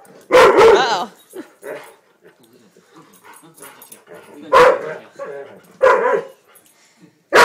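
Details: Dexter, a Weimaraner, gives loud, sharp barks in short separate bursts while a person talks to him between them.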